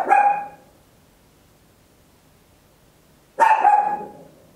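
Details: Small Papillon dog at home giving loud single barks with a slightly tonal, yelping edge, two barks roughly three seconds apart over a quiet indoor background; stereo recording made with an Olympus LS-11.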